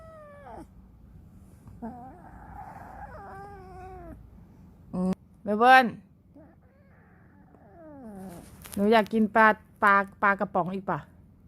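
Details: Melbourne, a 3-month-old Scottish Fold kitten with British looks from its father, talks back to its owner indoors. One loud meow, then a quick run of five or six short harmonic meows, mixed with a woman's voice and soft background music.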